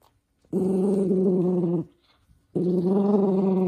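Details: Minato, a toy poodle, growling angrily as socks go onto his paws. Two long, even, humming growls of about 1.3 seconds each, separated by a quiet pause.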